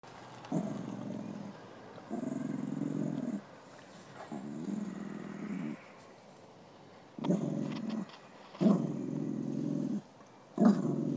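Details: Beanie, a male dog at a park where kids play, growls at a female greyhound, possibly trying to pick her up; low rumbling growls come in about six separate bursts of one to one and a half seconds, with quiet gaps between.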